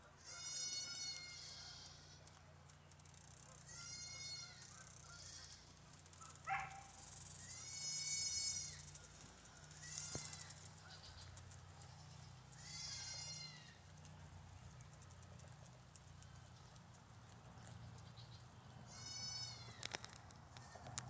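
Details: On a guinea pig farm, animals feeding on fruit utter a series of loud, arched, high-pitched squeals, each about a second long, repeated every two to three seconds above a steady low droning background.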